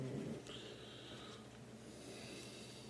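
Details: A female Boston Terrier, a flat-faced dog napping indoors as she does most of the day, snores softly with a low, rough, rattling breath and a faint wheezy edge.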